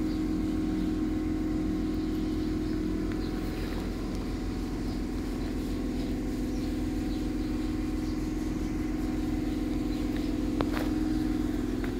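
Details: Steady low engine rumble from passing traffic, with a constant hum and occasional faint clicks, and no animal voices.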